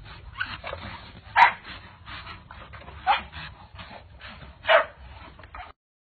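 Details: Pit bull barking: three short, sharp barks spaced under two seconds apart, over soft background rustle and low rumble.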